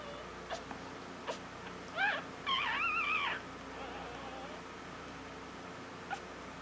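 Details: Newborn female Havanese puppy, born on Valentine's Day, gives a few short high squeaks midway through, some wavering, amid long quiet stretches of faint room hiss and soft clicks.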